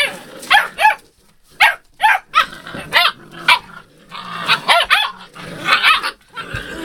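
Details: Puppies recorded on 02/08/12 give a series of high, arched yelps and whimpers, each rising then falling, in bursts about half a second apart, with short pauses between groups.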